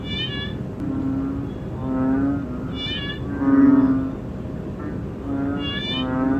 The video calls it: 7 Cận cảnh con Ễnh ương và tiếng kêu BullFrog Call